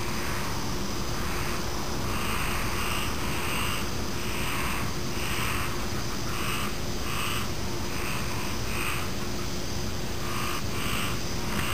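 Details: Chorus of frogs with insects: raspy croaks come in quick irregular runs, sometimes paired, over a persistent high insect trill. A faint steady hum sits low in the background.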